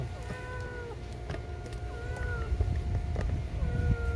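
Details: Stray cat outside an apartment, mother carrying a kitten back to their home; several long, slightly falling meows repeat every one to two seconds above a constant low rumble and scattered clicks.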